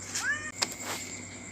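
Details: A brief, upward-sliding meow from an orange Thai cat that drops by late at night to eat, followed by a sharp click, with a constant high insect drone and soft speech in the background.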